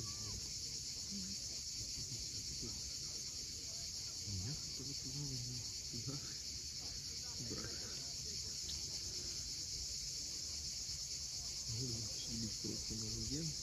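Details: Cicadas at sunset on the steep coast of Cape Fiolent, Crimea: a steady, high, hissing buzz runs unbroken throughout. Scattered low tonal sounds and a rumble sit far beneath it.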